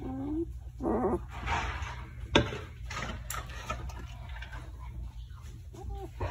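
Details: Five-day-old German Shepherd puppy, a male singleton of West German showline lineage, indoors, giving a few faint, short, squeaky whimpers over a steady low hum and soft room noise.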